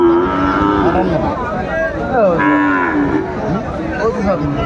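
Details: Sahiwal cattle at Aftabganj market, 4 May 2024: several bending, drawn-out moos in quick succession, some rising and falling, over a busy background of human voices at the livestock market.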